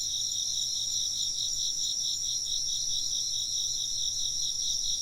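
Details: Insects chirping in a constant bright, high chorus whose rapid beating pulses never stop, layered voices blending over a quiet low hum.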